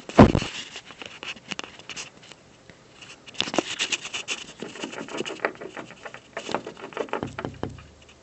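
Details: Squirrel chewing on an office building from a windowsill in the afternoon, heard as bursts of dry, crackling gnawing clicks in irregular clusters with short quiet gaps, a louder snap near the start.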